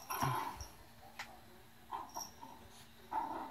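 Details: Chloe, a Yorkshire Terrier, playing indoors: short, sharp yaps and small barks come in scattered bursts with pauses between, a quiet room hum underneath.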